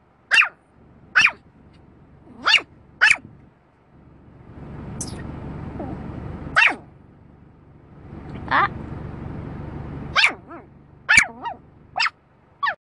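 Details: Dog barking at a moving windscreen wiper, sharp barks in pairs and singles, with a low rumbling vehicle-like hum in the middle and faint voices in the background.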